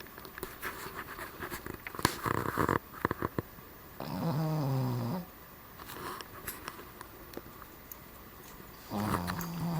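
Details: Sleeping Cavalier King Charles Spaniel, Starr, nicknamed Ewok, snoring indoors: a two-second rumbling snore with layered harmonics, then a quiet gap full of small clicks, and another snore beginning at the end.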